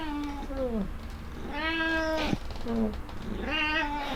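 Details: Indoor black cat, overjoyed at getting cat grass after a few days, gives a rapid run of meows: a falling meow, a longer rising-then-falling one, a short clipped call and a final drawn meow, all close and clear.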